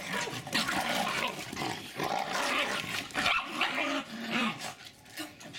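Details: Two Jack Russell Terriers, Jasper and Jaclyn, both about four and a half years old, running and play fighting with intense energy in Lenexa, Kansas, on 16 January 2012. Rough, noisy snarls and growls come in uneven bursts with short pauses.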